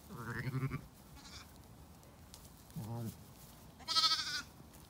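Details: On a sunny day in County Kilkenny, Ireland, lambs let out onto pasture bleat three times: a rising opening cry, a short low bleat, then a shrill, high-pitched wavering one, with soft background field noise.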